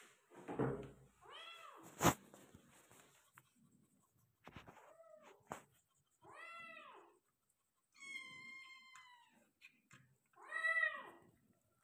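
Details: Persian cat giving birth to five kittens indoors: a series of arched, harmonic meows, one long level cry near the eighth second, with soft rustling and sharp knocks between calls.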